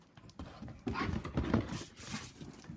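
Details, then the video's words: Playful dog talking while being encouraged to talk: a loud, drawn-out, yodelling moan with wavering pitch rises in the middle, framed by quieter huffs and a person's coaxing voice. "puppy talking"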